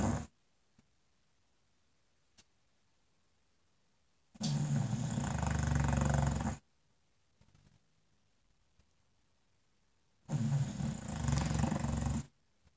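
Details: In front of a fireplace, an English Bulldog snores in slow rhythm: two long, rasping, rumbling breaths about two seconds each, roughly six seconds apart, quiet between apart from faint snuffling.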